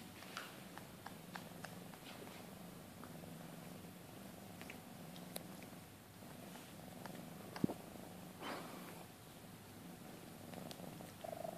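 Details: Maine Coon mother cat with her two-month-old kittens at a breeding cattery; a steady low purr runs throughout, with scattered soft clicks and rustles and a short, higher mew near the end.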